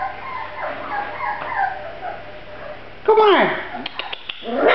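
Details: Grand Basset Griffon Vendéen puppies: after a few seconds of soft, murmuring background voices, a loud high whine slides steeply downward, followed by a few short sharp yips and a brief rising squeal at the end.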